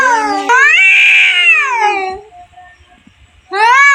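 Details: Two cats fighting: long wailing yowls with rich harmonics, rising then falling over about two seconds, a pause, then another yowl begins.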